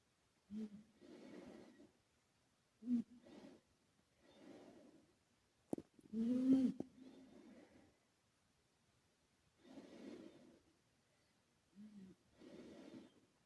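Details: Karumo, a male British Shorthair and former rescue cat, asleep at home with an echo effect added; rhythmic snoring breaths every two to three seconds, some opening with a brief low nasal tone, in an otherwise silent room.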